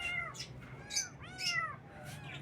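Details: Cute baby kittens meowing in the morning: a quick run of short, bending, high-pitched meows, some overlapping, repeated about every half second against a steady low hum.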